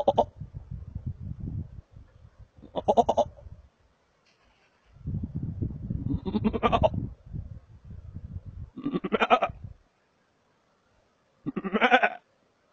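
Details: Wild markhor at Chitral Gol National Park, Pakistan: several harsh, quavering bleats, each roughly a second long with a rapid pulsing tremor, spaced two to three seconds apart over steady low rumbling background noise.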